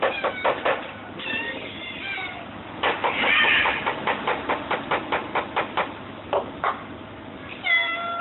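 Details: Large hungry group of cats calling together: rapid, overlapping short mews, about two or more per second, forming a dense chorus with a few longer, tonal meows at the start and end.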